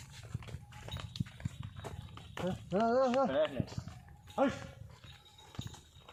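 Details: A cow kept for rearing gives one long, wavering moo lasting about a second, followed by a shorter second call, while people talk nearby and scattered clattering and thumps sound in the background.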